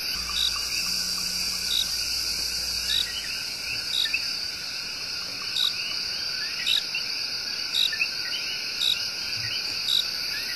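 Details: Night chorus in Puerto Rico's El Yunque Rainforest, where coqui tree frogs give their love song: evenly spaced bright chirps about once a second, many overlapping rising calls, dense high insect drone, and a low hum fading early.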